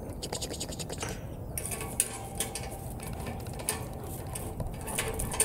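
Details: Rattling, scratching mechanical noise with a low background rumble and faint speech, and no animal voice.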